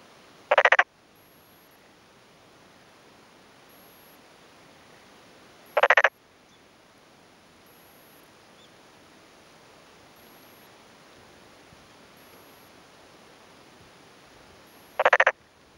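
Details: Male black-spotted pond frog calling in the afternoon from a water-filled rice field in farmland of Yamaguchi, Japan, 2 May 2011; three brief, loud rattling croaks spaced roughly five to nine seconds apart over a quiet background.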